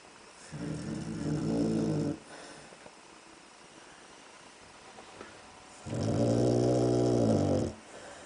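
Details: Pet dog sound asleep indoors in a darkened room, snoring loudly in two long, rasping breaths a few seconds apart, each a low, throaty rumble with quiet pauses between.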